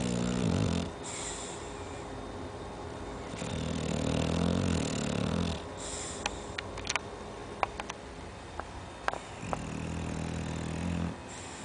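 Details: An 11-month-old Chow Chow snores with deep, rumbling breaths that return every few seconds.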